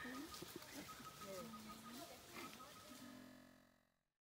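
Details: Wild chimpanzees tracked in Uganda, in the trees and on the ground, give low voiced hoots that rise and fall, over a steady insect drone in forest noise.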